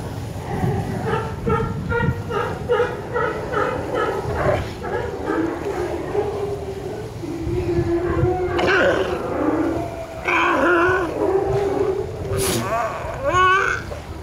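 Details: In Monterey Bay, California, female California sea lions and pups bark in a steady run of hoarse, harmonic calls, joined by higher wavering bleats. Females and pups use such calls to recognize each other.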